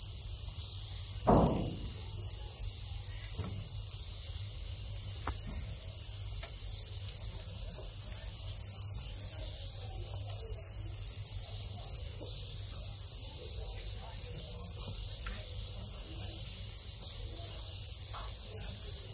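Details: Thai house crickets in their breeding phase: the males keep up a steady, high, shimmering chirping, which marks the start of mating.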